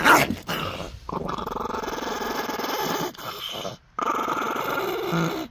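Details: Dog growling during a Dogo Argentino and Chihuahua face-off: a steady, rough, pulsing rumble held for about three seconds, a brief pause, then a second long growl, recorded close up indoors.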